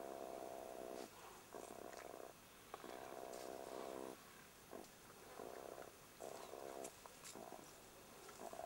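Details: Young jackals in their Kalahari burrow, harassed by a meerkat, give harsh, buzzy growling bursts, each about a second long, with brief pauses between.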